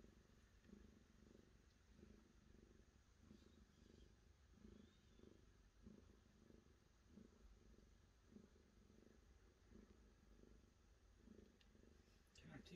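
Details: Cat purring in a steady low rumble, pulsing in regular beats about twice a second throughout, with a faint brief sound near the end.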